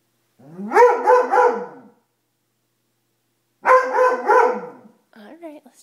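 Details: Dobermann scared of a coat it treats as a monster: two long, loud rising bark-howls a few seconds apart, then a faint whine at the end, with a person speaking nearby.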